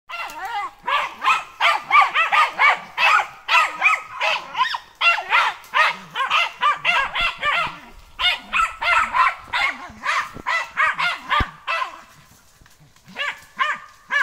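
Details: German hunting terrier on a wild boar training day barks in a rapid, excited string of sharp, high-pitched yaps.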